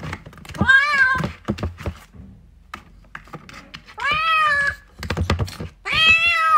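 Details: Three drawn-out, slightly rising meows from a kitten seeking its mother, with thuds and tapping noises in between and a quiet stretch in the middle.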